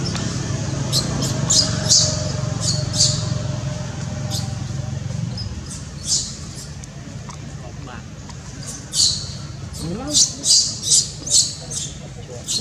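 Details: A young monkey, Jody, gives shrill, piercing cries in rapid bursts, calling its mother for help while another monkey, Spring, tries to kidnap it.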